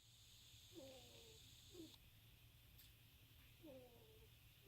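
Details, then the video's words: Sleeping ferret snoring: three faint, squeaky, wheezing breaths with a slight downward slide, arriving about one to two seconds apart over a steady low indoor hum. "Ferret snores!!!"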